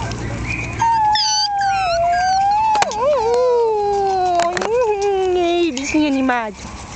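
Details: Jack Russell Terrier puppy, one month old, littermate born 27 October 2010, letting out a long drawn-out whine that slides slowly downward, wavering and breaking near the end, with faint squeaks from other pups.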